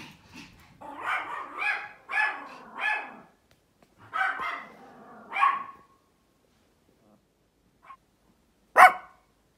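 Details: A female Pomeranian, watching a dog outside and then running around another dog in play, gives a quick run of high, sharp, yappy barks, then a few scattered yips.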